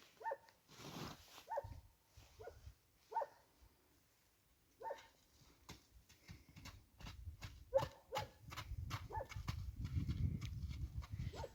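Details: Owners' dog barking in the distance, possibly because the owners are on their way back. The barks are faint, short and single, with irregular gaps of one to three seconds. Rustling and low thumping noises grow louder toward the end.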